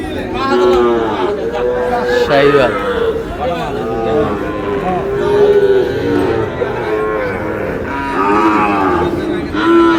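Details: Overlapping lowing from a group of Sahiwal bull calves in Noakhali, Bangladesh: a long run of repeated, curving moos that swell and fade one after another, with people talking faintly underneath.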